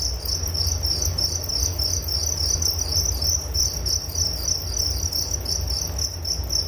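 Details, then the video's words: Crickets give a rapid pulsed high chirp, about 200 pulses a minute, ringing steadily over a soft low drone. "Relaksasi Suara Jangkrik Penghantar tidur || Nature Sound of Crickets"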